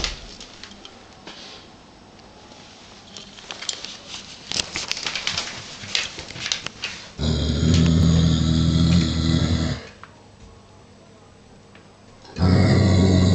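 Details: Giant Schnauzer, a 49 kg male, growling indoors at a 7 kg wooden toy sheep covered in real sheepskin, uneasy about it; after soft rustling and clicks, a deep rough growl lasts about two and a half seconds, then another begins.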